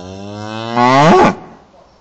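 A cow gives one long, low moo lasting over a second. It swells louder and bends upward before cutting off, with nothing else heard.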